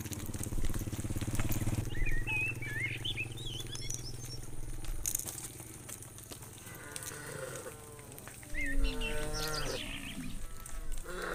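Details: Evening return of hundreds of tame cows to a farm pen; a low droning hum fills the opening seconds, then short harmonic moos and bleating-like calls from several cows arrive in the second half.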